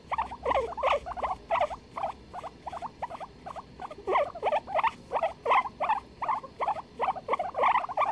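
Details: A guinea pig duet from 23 February 2021: dense, evenly paced squeaky chirps, about two to three a second, some rising and some falling, running continuously with a low hum underneath.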